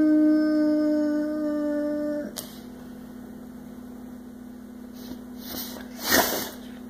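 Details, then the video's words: Six-year-old male Boxer weighing 100 lbs, which howls and sings every chance it gets, indoors: a steady, tonal howl with rich harmonics holds level for about two seconds, then breaks off, leaving a quiet room with a few soft knocks. "Boo Boxer Singing"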